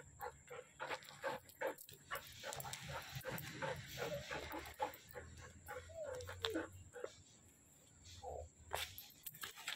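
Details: Siberian Husky giving short whining and yelping calls, mostly mid-pitched and irregular, with one rising-falling whine in the middle; low hum throughout and voices faintly in the background.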